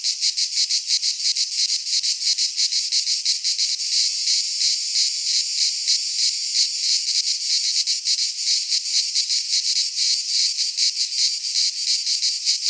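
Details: Massed cicadas of Greece singing in a midsummer pine forest: continuous metallic buzzing, shrill and pulsating at about three beats per second, briefly smoothing into a steadier drone midway.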